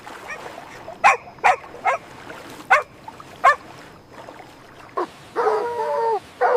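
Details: Puppies at play on fresh green grass, running, jumping and play-fighting: five sharp, high yips spaced irregularly over the first few seconds, then a longer whining cry with clear stacked tones near the end.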